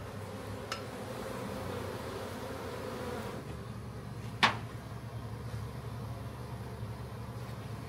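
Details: Backyard honey bee swarm during capture for a new hive: a continuous low, layered buzzing drone, with a loud sharp knock near the middle and a fainter tap early on.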